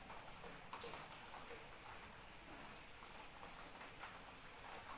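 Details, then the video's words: Rain and crickets for sleep: a piercing, constant cricket trill with a finely pulsed upper tone, steady throughout, under light, even patter of falling rain. "Suara Hujan dan Jangkrik Pengantar Tidur"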